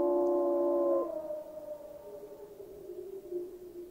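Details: A pack of gray wolves in Yellowstone National Park howl together in long, smooth, overlapping tones at different pitches, holding steady for a second before sliding lower and fading out.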